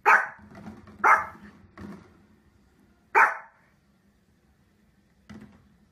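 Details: Single dog giving sharp barks, two close together then a pause, another loud bark, and a faint last one, with softer huffs and a low indoor hum between.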